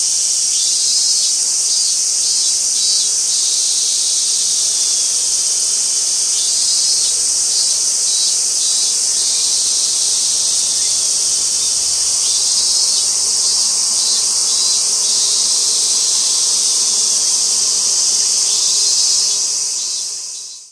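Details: Robust cicada singing at Gaikotsu-yama, 28 August 2021: a dense, continuous high-pitched buzz with repeated pulsed bursts at the lower edge of the buzz, ending abruptly at the close.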